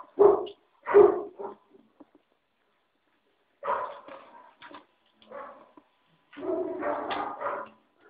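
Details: Five-week-old puppies giving two sharp, loud yelps, then a pause and broken clusters of whiny yips and squeals that build into a longer, busier burst of overlapping cries at the end.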